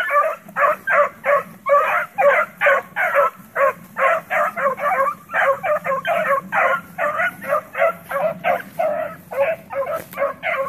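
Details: Around the house, playing pups keep up fast, continuous yappy barking, more than two barks per second in uneven bursts, high and slightly hoarse, with steady low hum behind.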